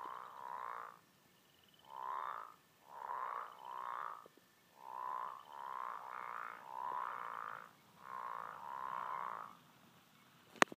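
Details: American bullfrogs give throaty, vibrating croaks in single notes and runs of two to four, pausing between runs, ending in quiet with a sharp click.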